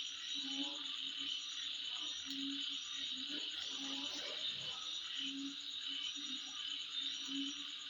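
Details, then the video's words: A constant high-pitched insect trill holds steady at midnight. Deep, short, croaking pulses come and go underneath, with a few brief chirps above. "Sound Of Insect At Midnight"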